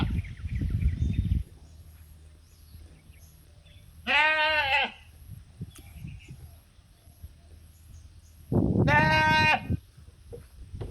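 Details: Sheep on a mountain calling companions to come and eat: two loud, wavering, harmonic bleats about four seconds apart, the second one longer, with a low rumbling noise at the start and quiet surroundings between calls.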